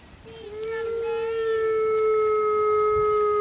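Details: Several grey wolves of a pack howl at Artis Zoo on 10-11-2013, one long, steady, low note drawn out and sliding slightly downward.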